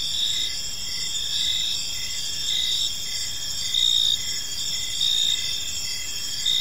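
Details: Park crickets at evening, a steady high-pitched ringing chorus with clipped chirps recurring near every second, several insects overlapping; gentle low hum underneath.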